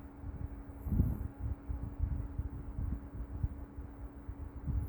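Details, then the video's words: Maltese rescue dog Meoteol asleep and snoring, a low rough rumble of breaths repeating at an even pace, with a brief faint high tone near the start. "유기견 말티즈 코골이 머털이"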